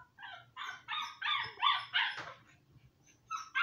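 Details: Seven-week-old Siberian Husky puppies; a run of high, nasal yips and whiny barks in quick succession, then a short pause and two more yips.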